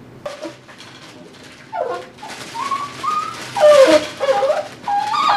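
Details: An 8-week-old Tibetan Terrier puppy named Dhali at play in his x-pen lets out a string of high whines, some rising, some falling and wavering, mixed with rustling noises.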